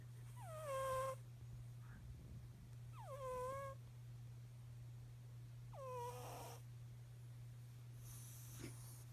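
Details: Snoring cat breathing in a slow rhythm, four breaths spaced about every two and a half seconds, the first three with a nasal whistle that drops and levels off, the last mostly airy hiss, over a steady low hum.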